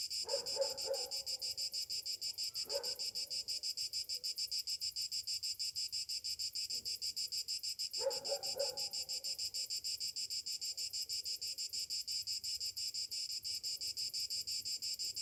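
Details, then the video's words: Cicadas singing on a summer morning: a high, hissing buzz pulsing about five times a second without pause, with a few brief lower sounds early on. "Morning summer cicadas sounds"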